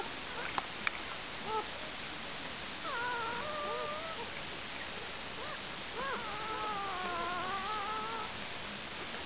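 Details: Irish Setter puppies at two days old, from Jess Pups, give thin drawn-out whines with wavering pitch, in two bouts that each last over a second, against a steady background hiss.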